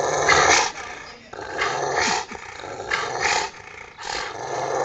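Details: Pet Rottweilers Ceffy and Oscar growl while playing over a shared toy in the back yard: four distinct harsh, raspy snarls, each lasting about a second, separated by brief softer pauses.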